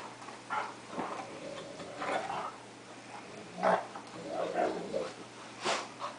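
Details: Two dogs at play, a cocker spaniel and a dog three-quarters wolf and one-quarter Akita, wrestling indoors; short rough growls and snarls come in bursts about every second, with louder yelps near the middle and end.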